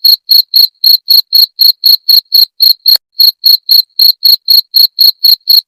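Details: Rat-repelling cricket chirps: a relentless train of bright, high-pitched pulses near four per second, briefly broken by a short pause with a faint tick around the midpoint before the even rhythm resumes.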